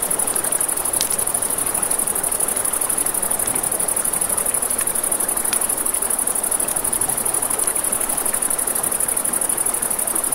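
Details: A continuous high-pitched, fast-pulsed trill of crickets at night near a river, with scattered crackles and snaps from a campfire and a gentle murmur of flowing water.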